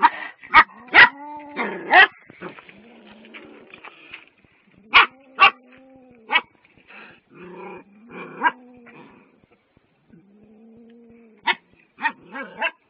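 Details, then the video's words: Dogs barking at a cat: sharp broadband barks in short bursts, some doubled, separated by pauses and softer whining tones between them. "Dogs barking on a cat"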